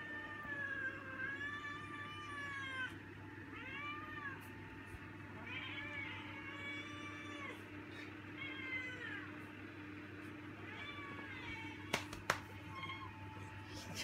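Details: Rambo, a pet cat, growing vocal with hunger before dinner: a run of drawn-out, wavering meows, some rising then falling, repeated with short gaps, over a steady low hum; a person speaks nearby.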